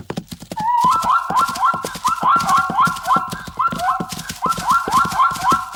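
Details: Zebra calling loudly in a fast run of rising, nasal, yelping barks, roughly four per second. The calls come in bursts with brief pauses between them. Broadband clicking or snorting pulses sound underneath.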